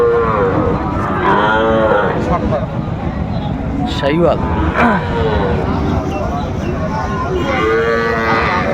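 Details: Seven-month-old Sahiwal bull calves at Raniganj market, Bangladesh, giving short repeated moos with arching pitch amid steady market chatter and occasional clatter.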